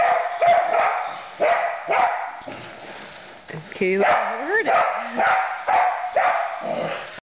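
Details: Excited barking from a female border collie playing with a remote-controlled toy truck she got for Christmas, treating it as substitute sheep; quick barks roughly twice a second, broken by a rising and falling whine, with voices.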